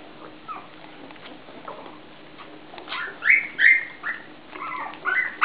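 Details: Puppies whine with a run of high, tonal, falling squeals, repeated several times in the second half. Quiet rustling comes before them.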